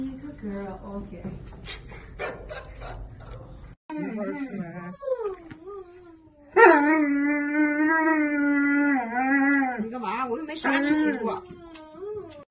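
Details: Key, a pet husky, vocalises after some background chatter: short wavering yowls, then a loud sustained rising-and-falling howl-like 'talking' lasting several seconds, ending in brief yips.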